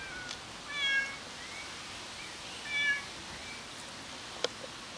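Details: A waiting cat makes two short, bright meows about two seconds apart, each bending slightly downward, over low steady background noise, with a sharp click near the end.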